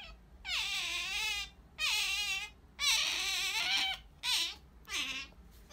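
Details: Sakura, a female pet otter, calling for jerky indoors: five loud, high, harmonic squeals, each about half a second to a second long, some wavering and falling at the end, separated by short quiet gaps.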